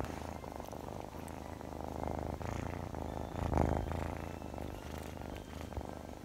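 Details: Chloe, a Scottish Fold kitten described as mischievous and affectionate, purrs steadily: a low, rough, fast-pulsing rumble that runs unbroken throughout, with faint soft clicks and rustles over it.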